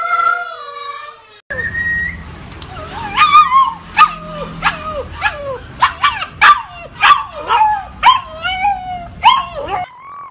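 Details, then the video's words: Siberian Husky puppy howling, a short steady howl followed by a rapid series of short yipping, falling howls about twice a second over a low background rumble. "10 Filhotes de Husky Uivando"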